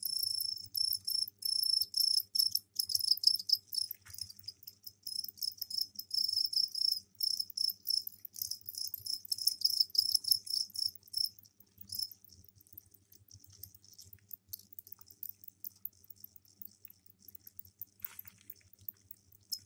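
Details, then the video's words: Crickets in a container, kept indoors and given soil for laying eggs, trill their mating calls; dense, fast, high-pitched pulsing that gradually thins out and softens toward the end. "Сверчковые трели"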